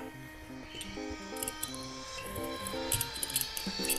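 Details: Background music with steady melodic notes and light percussive clicks; no animal voice is heard. A faint murmur of speech may sit under the music, but no bird or other animal calls stand out.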